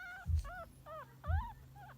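Chihuahua puppies give thin, squeaky whimpers, each a brief arched whine, while searching for a nipple to nurse.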